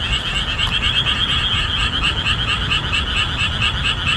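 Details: Summer chorus of boreal digging frogs in a marsh revealed as the monsoon rains end, calling loudly and rhythmically; overlapping pulsed croaks repeat quickly and continuously over a low background rumble.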